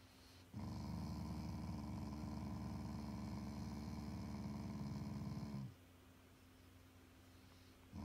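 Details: Affectionate growl from a Shiba Inu, a loving family dog that is not angry: one steady, low, rumbling growl lasting about five seconds, evenly pulsed and gravelly, then quiet indoor room tone.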